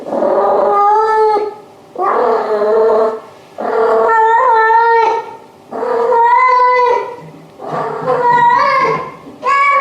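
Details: Domestic cat making long, harmonic, wavering meows, about five drawn-out calls repeated every two seconds or so, each rising and falling in pitch.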